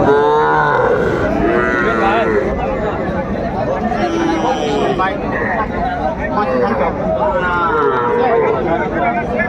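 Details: Young bulls and heifer calves at a Kurigram cattle market in Bangladesh, 17 July 2024. Several wavering, mid-pitched moos sound at intervals, nearly buried under constant talk and bustle from the crowd.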